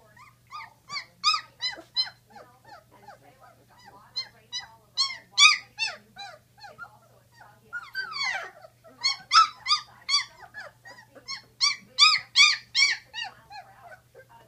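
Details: Sixteen-day-old Great Dane puppies whimper and squeal in quick, irregular runs of bright harmonic calls, rising and fading in waves, with a single longer downward-sliding cry midway before the loud squealing resumes.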